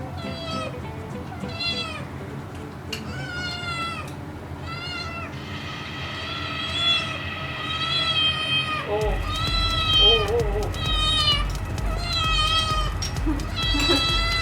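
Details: Kitten meowing for food: a run of short high meows repeated about every second, joined by a steady background tone partway through, with other sounds overlapping.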